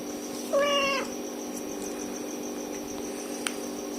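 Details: Tiny kittens cry until their mother cat arrives: a single clear, high, wavering mew lasting about half a second, with strong overtones, over a steady background hum.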